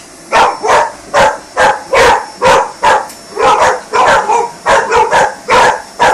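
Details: Rescue dog barking frantically at a vacuum cleaner during housework, a rapid run of sharp barks, roughly two per second, some paired, with the steady whine of the hoover underneath.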